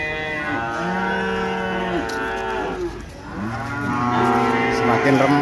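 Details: Moos from cattle crowded into the busy Ambarketawang cattle market, Gamping, Yogyakarta: long steady lowing tones with stacked harmonics, a brief dip in the middle, then fresh overlapping calls, over background murmur of the market crowd.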